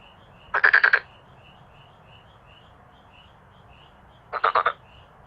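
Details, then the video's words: A male black-spotted pond frog gives two brief, loud rattling croaks of five or six quick pulses, several seconds apart, while a faint, soft repeated chirping continues throughout. "어린시절 추억을 소환 해주는 참개구리의 떼창 클라쓰 (웃음 나오는 참개구리 예능+다큐 우렁찬 울음소리 주의)"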